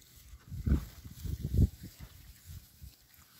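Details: Berkshire pigs in their new paddock, enjoying it: deep, rough grunts in short bursts, about one a second, loudest near the start and middle, with quiet outdoor background.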